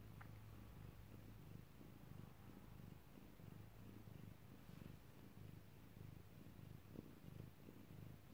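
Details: Domestic cat purring while giving birth, recorded close up indoors: a steady low rumbling purr with a throbbing pulse throughout, fairly quiet, plus a brief faint higher sound near the start.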